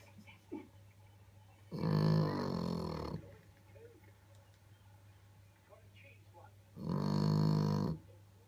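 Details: French Bulldog snoring very loudly indoors: two long, rasping, rattling snores, each lasting one to one and a half seconds and about five seconds apart, with soft breathing and a low hum between.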